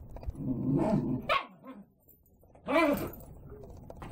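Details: Young six-month-old Scottish Terrier with a developing deep baritone voice: a low rumbling, grumbling vocalization for over a second, a pause, then a short rising-and-falling howled "arooo", with room noise throughout.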